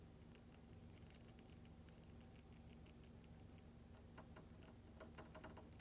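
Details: Pet hamster Mini Goro greedily licking lactic acid bacteria paste; rapid dry clicking and smacking grows denser toward the end, set against a quiet, constant low hum of a small room.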